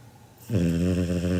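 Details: Seven-month-old Labrador Retriever puppy Kinako asleep, with a snore as loud as a human's: after near silence, a low buzzing rumble starts abruptly and holds steady, rough and vibrating, indoors.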